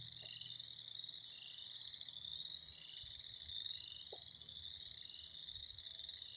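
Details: A spring frog chorus alone: a dense, unbroken, shrill trilling from many callers with gently shifting pulses. Only faint low background rumble sits beneath it.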